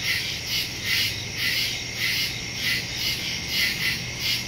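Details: Woods at night filled with crickets, recorded on September 2, 2023 using a Samsung Galaxy S22 Ultra and Shure MV88+; high, throbbing chirps rise and fall in slow waves over an unbroken shrill background.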